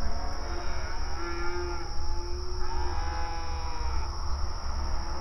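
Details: Herd of open range cattle at pasture, mooing to each other; two or three drawn-out moos swelling and fading, overlapping voices, constant low background noise.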